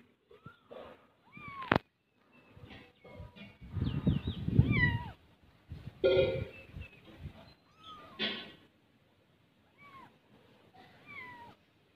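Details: Kittens playing together, giving repeated short, high meows that rise then fall, several in quick succession, between louder broadband thumps and scuffling bursts.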